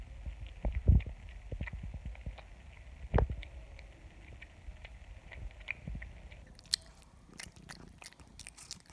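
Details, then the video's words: A cat eating: a run of low, crunchy chewing and biting noises at an uneven pace, with heavier thumps early on, then sharper, brighter clicks and crunches toward the end, in a quiet indoor setting. "The sound of a cat eating"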